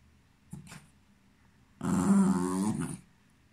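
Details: Cairn Terrier in a small room: a brief faint yelp, then one loud, sustained groaning whine of about one second with a steady, rich tone.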